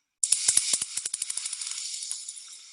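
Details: Bat echolocation, natively about 80 down to 40 kHz in a steep call, slowed into hearing range: a rapid train of dry, hissy clicks that gradually spread apart.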